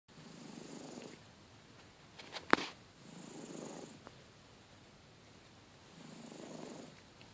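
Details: Domestic cat snoring loudly indoors: soft, breathy, rasping swells about every three seconds, each lasting roughly a second, with a sharp click in between.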